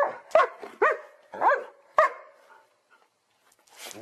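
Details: Dog barking loudly: a quick run of five sharp, harsh barks in about two seconds, each with a rising ring, then silence and a short hiss near the end.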